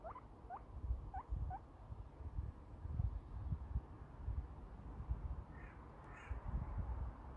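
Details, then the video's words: A little guinea pig wheeking: four short rising squeals with faint harmonics in the first second and a half, followed by quieter higher chirps near the end, over steady low rumbling and snuffling noise. "Just a wheeking little Guinea pig"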